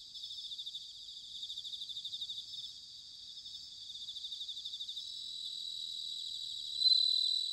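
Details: Autumn chorus of bell crickets recorded at Sanuki in Chiba, Japan: continuous high-pitched trilling made of quick pulses, swelling and fading in waves, with one nearer insect ringing out more loudly near the end.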